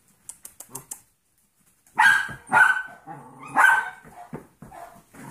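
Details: Yorkshire Terrier foster puppies, seven weeks old, at play with a 15-week-old Golden Retriever mix foster puppy; a few soft taps and scuffles, then three sharp, loud yapping barks in quick succession followed by quieter whines and yips.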